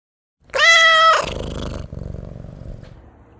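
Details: Stray cat giving one loud, clear meow lasting about half a second, followed by a softer rough trailing growl or purr-like rumble fading over two seconds.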